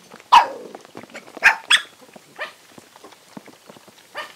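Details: Several hungry dogs eating and fighting over food give sharp, harsh barks and yelps, loud bursts near the start and at one and a half seconds, then fainter barks amid clicking and chewing noises.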